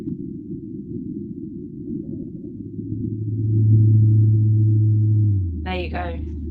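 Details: Antarctic blue whale Z call detected inshore on the South Georgia shelf, played back transposed so humans can hear it: a low steady hum that drops in a step to a deeper sustained tone, with brief speech at the end.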